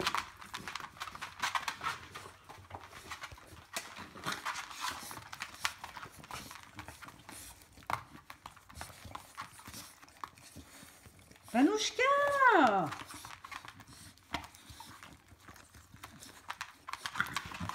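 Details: White male Bulldog puppy indoors, letting out one loud, arched whining yelp that rises then falls, with several quick pulses bunched near its middle, amid steady scratching, shuffling and soft clicking noises.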